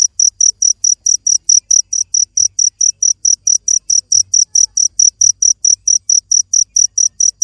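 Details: Cricket chirping rhythmically, bright piercing pulses roughly four per second without a break, a few faint low thumps in the background.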